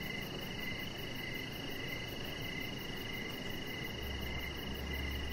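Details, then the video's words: An evening outdoor scene by a deck, where crickets give a faint series of regular high chirps beneath a steady whine. A broad low hum and a brief low thump are heard near the end. "Chihuahua Puppy Laying On Deck with Cricket Sounds"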